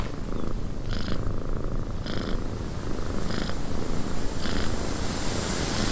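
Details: Cat in a cabin purring in a deep, unbroken rumble, with brighter airy pulses about once a second marking each breath, against a steady background of wind.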